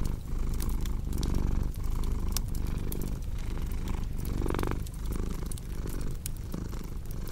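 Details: Rumbling cat purr in steady breath-length cycles, low and even, accompanied by intermittent sharp crackling from a fire.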